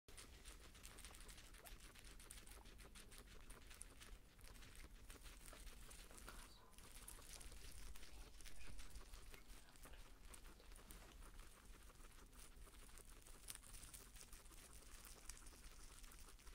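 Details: A guinea pig eating fresh greens chews steadily, a soft rapid crunching and rustling that barely pauses.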